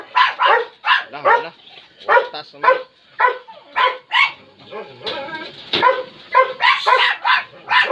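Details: Labrador Retriever described as fierce, giving a rapid run of harsh, harmonic-rich barks, roughly two per second, each short and punchy, continuing steadily for several seconds with little pause between bursts.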